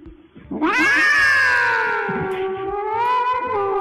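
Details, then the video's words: A cat described as singing gives one long, drawn-out caterwaul of about three seconds. The yowl rises sharply at the start, then slowly falls and wavers. It is rich and harmonic, with faint low thumps underneath. "Cat Singing Song"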